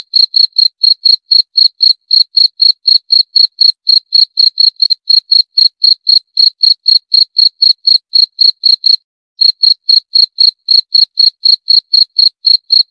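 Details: Shrill, regular chirping of a cricket (jangkrik): quick bright pulses around four per second, with one brief pause near the end before the rhythm carries on. Quiet background.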